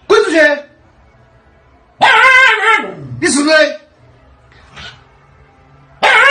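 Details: Indoor Siberian Husky protesting about not going out: loud harmonic yelling bursts, one sliding steeply downward in pitch, separated by quiet gaps and a faint short sound.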